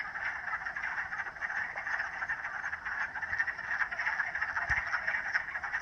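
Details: Frogs calling in a dense, continuous chorus, a steady rasping band of overlapping croaks with no breaks across the clip and no other sounds standing out.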